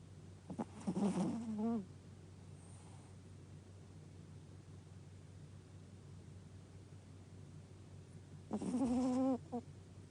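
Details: Pet dog Gaku sleeping comfortably indoors gives two drawn-out, throaty snores about seven seconds apart, each a rasping, wavering tone close to a second long, over a quiet constant background hum.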